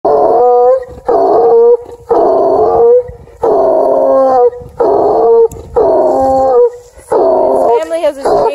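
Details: A Redbone Coonhound at a scent hound rescue in Kingston, Ontario, Canada bays in deep, drawn-out bursts about a second long with short pauses between.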